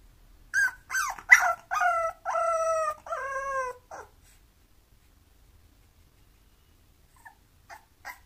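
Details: Bulloxer, a mixed-breed dog, gives a run of five or six high, tonal whines, some wavering and some sliding downward, over about three seconds. A long quiet stretch follows, then a few faint, short squeaks near the end.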